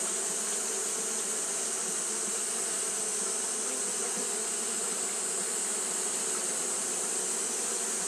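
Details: On a hot day, Japanese honey bees keep up their fanning, making an unbroken low drone with a rough, flickering texture beneath a strong, even high hiss that never lets up.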